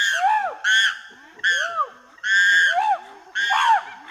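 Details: Chimpanzee giving clean, loud barks: five sharp, high, ringing calls, each rising and falling in pitch, spaced about a second apart with faint grunts in the gaps.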